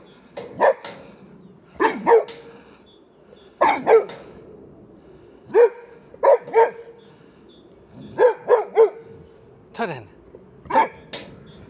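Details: Boxer Rex, a Swedish male boxer living outside Landskrona in southern Sweden, angrily barks at the wheelbarrow that took his favourite toy: sharp, loud barks, single or paired, repeated every second or two.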